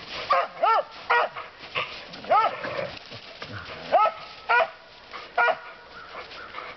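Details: Out in the woods, the dog Lucy, fond of barking a lot, lets off a series of about nine loud, clipped barks at uneven intervals of roughly half a second to a second.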